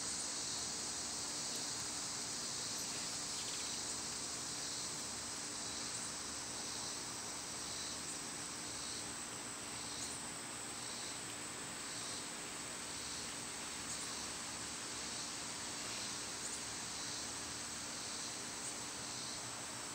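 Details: Summer cicada chorus, a dense high hiss pulsing in repeated waves roughly every second, layered over a fixed piercing high tone and faint background rumble outdoors.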